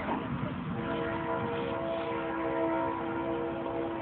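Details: Continuous rumbling, train-like vehicle noise with a few steady humming tones, and no animal sound.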